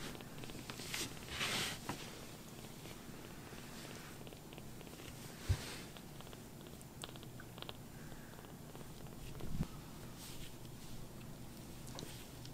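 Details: Sokkun, a rescued baby kitten with sock-like paws, purrs while seeking affection on its carer's lap after being upset; low continuous rumble throughout, broken by fabric rustles and a couple of soft bumps.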